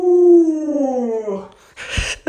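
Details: A long, gently falling howl from Luoluo, a pet Alaskan Malamute, lasts about one and a half seconds and trails off, followed by a brief rustling noise and a short click indoors.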